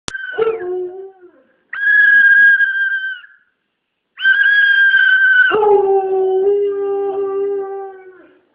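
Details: A Siberian Husky, bothered by a noise, gives drawn-out, wavering howls that drop sharply from a high tone to a lower one.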